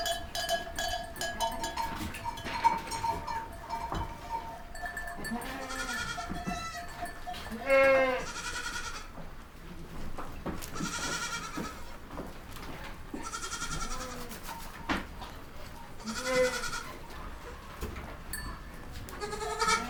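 Young goats bleat repeatedly, wavering nasal cries overlapping one another.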